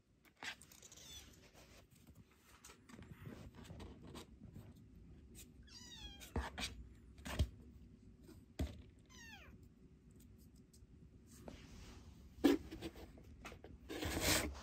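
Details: Rescued youngest kitten squaring off against its older sister kitten. Two faint, quick squeaks, each sliding sharply downward, come about three seconds apart amid scattered thumps and knocks of movement, with a louder bump near the end.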